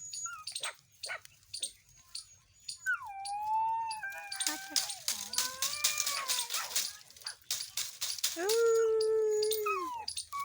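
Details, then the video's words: Puppies with their mother dog: drawn-out, tonal whining howls slide downward and hold level, three long cries in all, with clicking sounds, people speaking Gujarati and a snatch of music. "cute 🥰 Puppy dog 🐕 | and Puppy dog mother"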